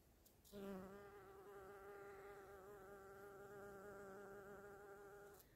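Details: A female bumblebee gives a steady, high-pitched buzz while vibrating pollen loose inside a flower, an adaptation for buzz pollination; the tone changes when she flies off.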